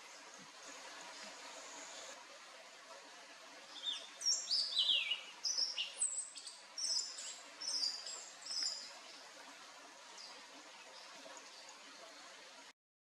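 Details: Hylodes asper frog at Paranapiacaba, São Paulo state, Brazil, on 12 December 2020, giving a run of high, thin whistled notes, many sliding downward, clustered over about five seconds against a steady background hiss.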